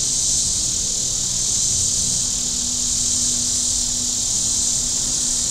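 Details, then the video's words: Cicadas on the shore of Table Rock Lake in southern Missouri on a very warm Saturday: a steady, unbroken high hissing drone with no gaps, over a faint low hum from boats on the lake. "Boating Lake Sounds and Cicadas"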